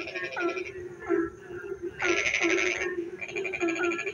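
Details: Frogs calling in the rainy dark: a steady droning background with scattered short rising notes, then a long loud rattling burst of fast pulses midway, followed by more chirps.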